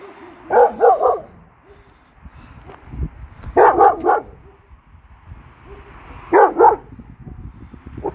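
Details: Kangal named Nazo reacting to a strange female dog that arrived in the neighbourhood, likely abandoned: three bursts of deep, rough barks, each of about three quick barks, spaced roughly three seconds apart, with quiet rustling between.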